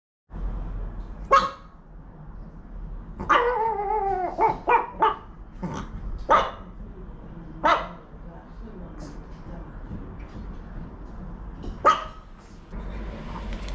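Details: Male Maltese dog indoors, trying to get into a room, giving sharp single barks scattered throughout and a rising-falling whining yelp run in the middle, over a steady low background hum and soft music.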